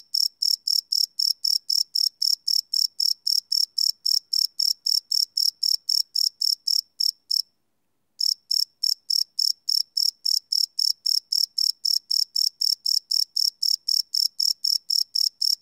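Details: Cricket singing at night, recorded live on a Sony PCM D100: a continuous series of shrill pulses about four per second, broken by one brief pause of under a second midway, then resuming.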